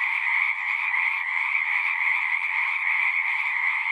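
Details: Frog chorus of many voices, a steady high churring trill on two stacked pitches, evenly loud throughout with no other sounds standing out.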